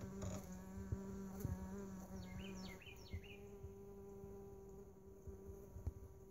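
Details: Mason bees in a lawn mower bagger give a low, even buzz for nearly three seconds before it fades out. A short series of quick bird chirps sounds in the middle, with soft tapping noises.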